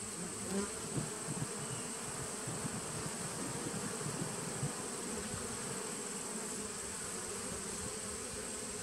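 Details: Honey bee nucleus colony from 2017, recorded 19 September 2018, giving a level, unbroken hum, deep and grainy, with slight flickers early on and a thin constant whine high above the drone.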